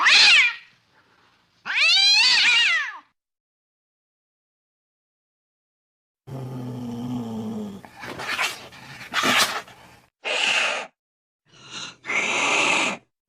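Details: Cat sounds meant to scare mice away: two loud, drawn-out wavering meows, then after a pause a low rumbling growl broken by harsh hissing spits and short yowling bursts.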